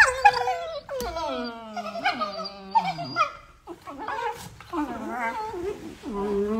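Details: Beagle puppies at play give overlapping high whines and yelps, with harmonics that bend up and down. Short yips and drawn-out whimpers follow each other several times a second with almost no pause.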